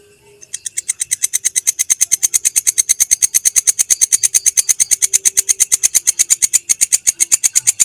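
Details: Rapid, even train of dry rasping pulses from a belalang kecek grasshopper, recorded as a master sound for teaching songbirds; the ticking starts abruptly and carries on unbroken, high and buzzy.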